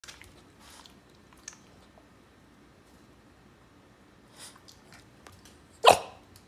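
A Boston Terrier gives one abrupt, sharp snort-like sound after several seconds of near silence.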